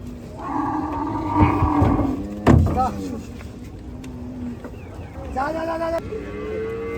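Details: Gaiya cattle being unloaded at a cattle farm: a drawn-out, steady lowing moo of nearly two seconds, then a sharp knock and shorter, fainter lows, with people talking in the background.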